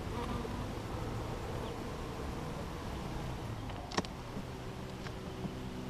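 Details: Honey bees being installed into a hive, about to be released: a steady low droning buzz with layered humming tones holding throughout, a sharp click near the fourth second.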